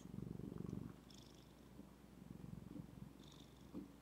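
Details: Female house cat Zephy purring: a strong low rumble in the first second, then quieter, uneven pulsing purr continuing, with brief faint high squeaks near the middle and end.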